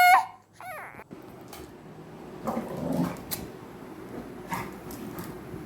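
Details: American Bully puppy called Miku, a pet indoors at home in Kerala, gives a sharp, high whimpering yelp with a bending pitch in the opening second, followed by soft indoor rustles and a woman's voice.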